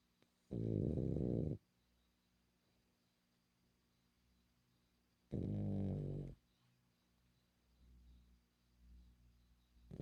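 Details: Female French Bulldog called Milla snoring in a quiet room: two deep, rattling snores about a second long, spaced roughly five seconds apart, with soft breathing noises between them.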